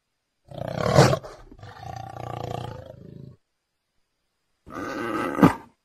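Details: Leopard giving harsh, rough roaring bursts: one sharp loud onset fading into a rasping, lower growl, then a pause and a second gritty, rising roar.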